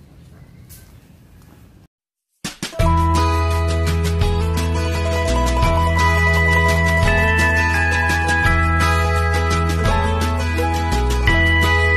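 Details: A short murmur of indoor noise, a brief gap, then loud instrumental music with a steady beat and bass fills the rest.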